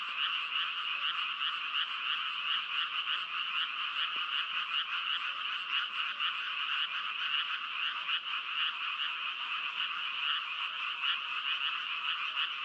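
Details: Frog calls overlap into a constant rasping chorus, rich and high, beating with quick irregular pulses, with one faint click near the middle.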